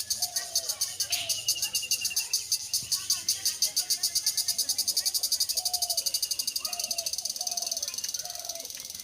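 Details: Daytime chorus of true crickets in a village in rural Bangladesh: a shrill, rapidly pulsed chirping carries on without a break, with soft whistled bird calls and a few brief sounds in the background.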